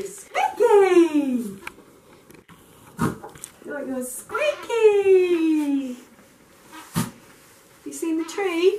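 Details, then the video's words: Excited dog greeting its returning owner with long, drawn-out whines that start high and glide steadily down, two extended cries separated by short squeaks and clicks, then a wavering whine at the close. "Dogs knows when her owner comes back"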